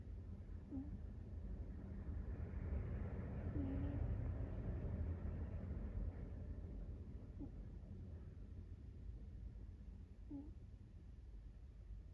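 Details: American Shorthair cat Sabataro snoring while asleep, a deep rumbling breath sound with a faint squeaky whistle breaking through roughly every three seconds, four times in all.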